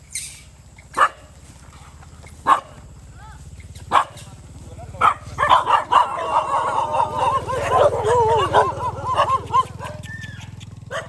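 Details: Cambodian farm strays squabbling over rice by a road; a few sharp isolated barks, then a long stretch of wavering, rising-and-falling growls and snarls over a steady low hum.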